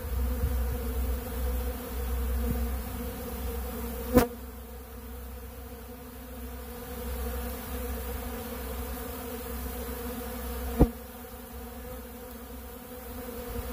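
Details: Honeybees feeding on bee pollen at a big blue pollen feeder keep up a continuous droning hum. Two sharp clicks cut through at about four and eleven seconds.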